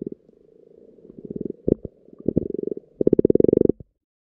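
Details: Frogs croaking underwater in a pond during spawning: low pulsed purring croaks in short rhythmic runs, building to a loud fast rattling series near the end before silence.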